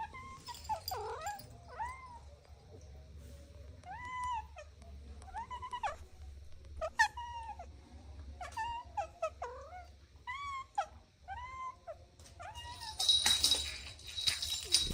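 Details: On grass, playing kittens repeat insistent arched mews roughly every second, each rising then dropping in pitch, with a rustling burst near the end over faint low background hum.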